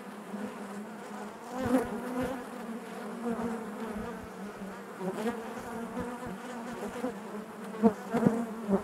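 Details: Honey bees humming within the hive, an even, layered drone holding fairly constant, with brief louder swells and a few crisp clicks near the end.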